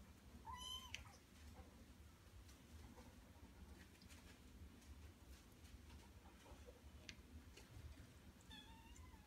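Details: Male Norwegian Forest Cat indoors giving a short rising-then-falling meow near the start, with a fainter meow near the end, over a quiet, low background hum.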